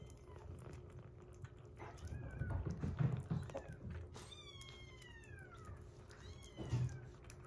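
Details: Rescued young kitten indoors at 47 days, among kittens eating weaning food and a baby cat nursing on milk: several thin, falling meows scattered through the recording, mixed with low thumps and handling noises.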